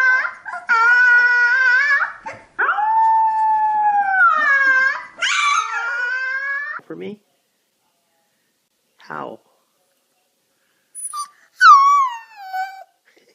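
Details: Young puppy giving a string of long, quavering howls that swoop down and level off, each a few seconds long, then a silent gap and a final pair of high, falling whines.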